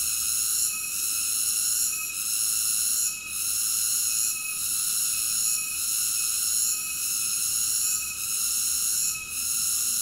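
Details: Continuous shrill insect drone from cicadas, layered high tones pulsing in gentle waves roughly every second, with brief dips in loudness and nothing else audible.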